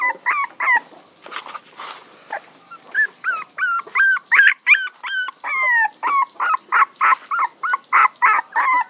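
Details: Puppies whining in a steady run of short, high, rising-and-falling whimpers, about three each second, each clear and tonal, with brief rustling and soft knocks at the start.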